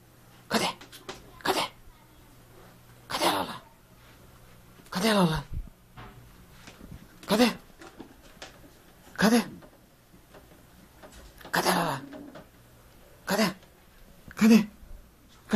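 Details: Lola, a Jack Russell Terrier playing at hunting a ball indoors, gives short, harsh, breathy bark-like bursts, about eight of them spaced roughly every one to two seconds, with quiet room tone between.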